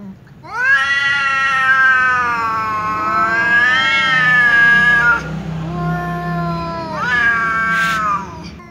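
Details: Angry tom cat caterwauling loudly at a ginger cat that keeps meowing; a long wavering howl rising and dipping for about four seconds, followed by shorter drawn-out cries with overlapping second voice.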